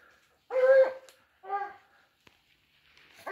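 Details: Dogs driving out a wild boar; two clear barks, the first longer and stronger, the second shorter a second later, with a faint click and the start of another bark at the end.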